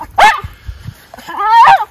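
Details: Two Miniature Schnauzer brothers, Lucky and Levi, wearing coats outdoors at 14 degrees F in Aroostook County, Maine, in December after three weeks inside; a short high whine, then a longer rising whimper, with footsteps and light ground noise.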